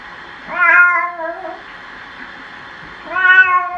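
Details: Cat being bathed meows twice, about two and a half seconds apart; each cry starts with a rise then holds a level, harmonic-rich tone before fading, with faint room noise between.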